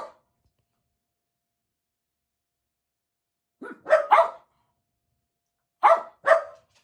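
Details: Four pet Jack Russell Terriers indoors waiting excitedly for their owner to come home; a few sharp barks in two pairs after a long quiet stretch, mid-pitched and clipped.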